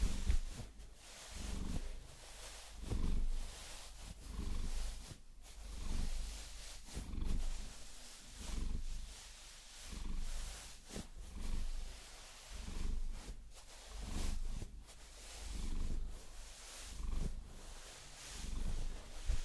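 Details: Pet Maine Coon named Vasilisa enjoys a massage with long nails, rumbling in slow, regular purr cycles of about one and a half seconds, overlaid by rustling scratches and nail taps.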